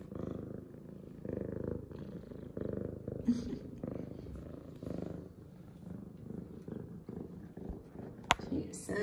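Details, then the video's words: F2 Savannah cat Zara, a female, purring after her morning shower, happy and clean; a steady low rumble in pulsing waves with a woman speaking softly over it and a sharp click near the end. "Happy Excited Meows And Purrs From F2 Savannah Cat Zara!"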